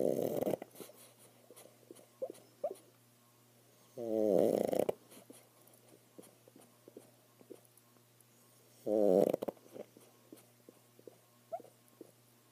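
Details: Pet pug asleep and apparently dreaming indoors: three breathy, rumbling snore bursts about four to five seconds apart, with soft snuffles, lip smacks and small clicks between them in a quiet room with a steady low hum.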